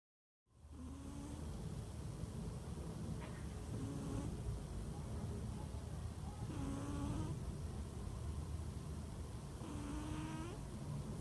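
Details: Sleeping cat snoring: short, low, slightly rising nasal tones with faint overtones recur about every three seconds, each breath brief, set against a loud, steady broadband hiss that fills the recording.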